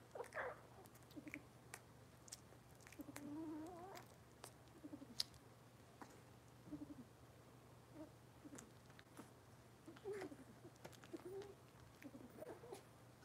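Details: Litter of Cavalier King Charles Spaniel puppies from Robin, indoors on a Wednesday morning livestream; soft scattered whimpers and short squeaks, a wavering rising whine near the middle, amid clicks, light rustling and a steady low hum.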